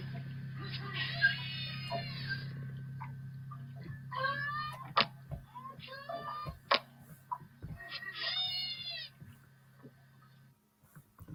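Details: St. Lawrence beluga whales of the Saguenay-St. Lawrence Marine Park, playback: bursts of harmonic, nasal squeals and chirps separated by sharp clicks, with a steady low hum underneath, compared to canaries and birdsong.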